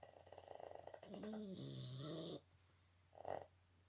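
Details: Boston Terrier snoring loudly: a second of rapid fluttery rattling breaths, then a long harsh snore with a droning tone that dips and wavers, followed by quiet and a short snort-like breath.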